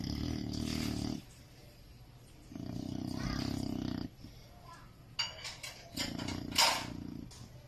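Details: Sleeping Chow Chow named Jacko snores loudly: three long, harsh, rasping breaths, each about a second long, separated by quiet pauses, with sharp clicks and rustles near the end.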